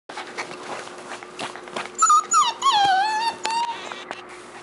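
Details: A beagle puppy gives a run of high, tonal whines that slide downward and waver, coming in quick bursts after quieter scuffling sounds.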